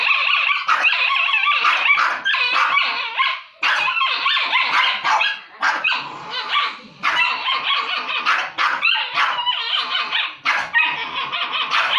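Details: Two dogs fighting over food, normally very friendly with each other; continuous harsh snarling and yapping barks overlap in a dense, frantic scuffle with almost no pauses.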